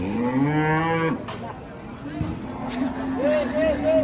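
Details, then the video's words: Raging cattle bellow in a long, deep, harmonic-rich moo lasting about a second, followed by quieter lowing and a few shorter rising calls as the animals stay agitated. "KUMPULAN SAPI NGAMUK"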